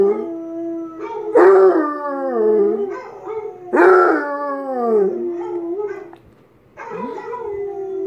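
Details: Basset Hound Tank howls in repeated swells roughly every two and a half seconds, bright yelping onsets dropping into long falling, harmonic wails, with a short quiet gap before the last.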